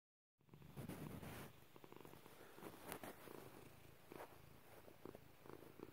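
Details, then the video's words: Domestic cat, a female pet indoors, purring: a continuous low rumbling throb of rapid regular pulses, steady throughout with a few brief rustling sounds on top. "Purring Pepper"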